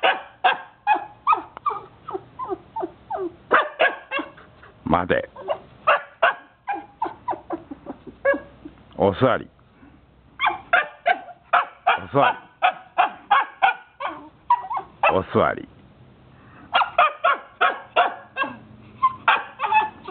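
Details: Jomon Shiba Inu in a wait-training session barks almost nonstop in rapid repeated yaps, broken by a few longer drawn-out whining howls, with human speech mixed in.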